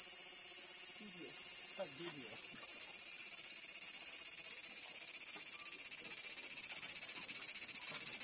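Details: Cicada song in a Japanese summer, 2014, reported louder than 120 dB, captured on a Panasonic Lumix TZ20/22: a very high, sizzling, finely pulsed buzz runs continuously, with faint murmuring voices beneath it.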